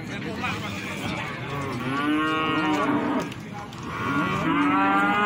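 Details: Moos of cattle at the Plaosan market in Magetan, Indonesia: a strong arched bellow around two to three seconds, then a second rising moo toward the end, amid constant market chatter.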